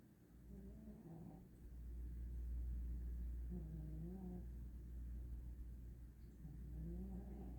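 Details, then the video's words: Sleeping cat snoring loudly: three drawn, tonal rising-and-falling breaths roughly every three seconds over a constant low hum. "cat snores so loud"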